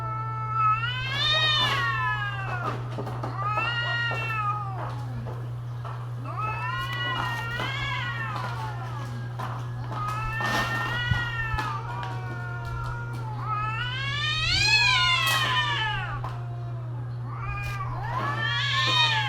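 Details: Loud, strained yowls from cats during mating season. Arched cries rise sharply and fall, repeating every couple of seconds and growing shriller toward the end. A steady low hum persists underneath.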